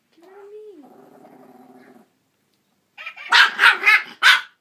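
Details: Puppy reacting to a Jingle Bells singing Santa dog toy she has always hated: a sustained tonal sung phrase from the toy, a short pause, then four loud, sharp barks in quick succession.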